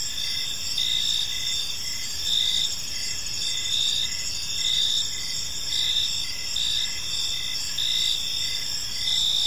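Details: Crickets in an evening park: high continuous trills with short repeated chirps close to once per second, loosely regular, several insects overlapping above soft low-frequency ambient noise.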